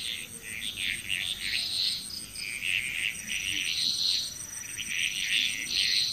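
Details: Frog chorus in Bali, Indonesia: overlapping bursts of high, pulsed croaking calls come and go in waves, with a steady insect-like whine high above throughout.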